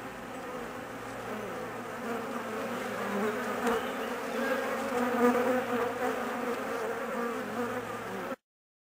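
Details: Nervous honey bees of a colony whose queen has left for a 45-minute mating flight; thick continuous buzzing swelling slightly in loudness toward the middle, then cutting off abruptly near the end.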